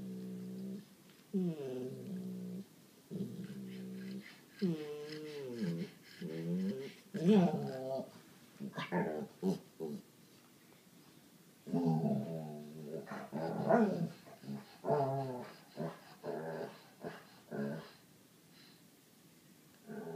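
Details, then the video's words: Sadie, a seven-year-old white Labrador, indoors, talking and complaining to coax Holly, an eight-year-old black pug, into play: drawn-out, warbling, moaning whines in bursts of one to two seconds, rising and falling, with short pauses between. "Sadie begging for attention"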